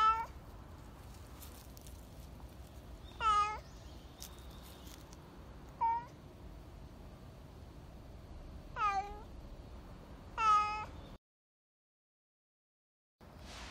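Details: Black stray cat, expressive and dog-like, crying at feeding time; five harmonic meows, short and downward-curving, spaced two to three seconds apart over low background hum, then a brief silence.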